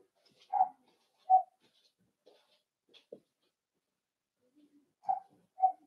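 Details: Four-week-old Cavalier King Charles Spaniel puppies in an indoor puppy pen, meeting other dogs and trying puppy mash: short, high whimpering squeaks in pairs, separated by quiet gaps, with faint soft rustles in a quiet room.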